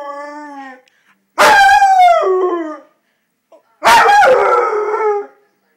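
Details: A seven-month-old pet Rottweiler howls indoors, said to be mad at its owner: two long, wavering, rising-then-falling howls of about one and a half seconds each, after a brief steady, lower tone at the start.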